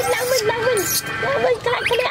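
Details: KOTO, a baby monkey, cries loudly in fear after his mom leaves him clamped on a tree branch; wavering, whining tones in two bursts separated by a short pause, over a low background hum.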